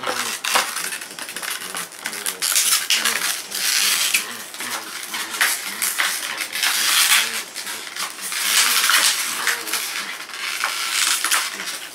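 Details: Metallic clattering like dropped coins and dishes, with faint speech, in a small indoor room.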